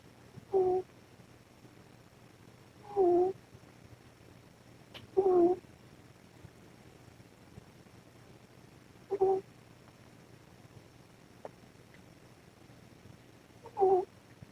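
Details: Ros, a mother cat, snoring while sleeping under the camera; five short whistled, two-toned snores at breathing pace, roughly every two to four seconds, over steady background noise from maximum gain.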